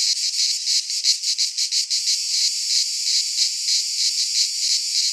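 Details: Cicadas singing in midsummer in a Greek pine forest: a dense, high, buzzing chorus pulsing about three times a second, loudest in the upper range, with no other sounds.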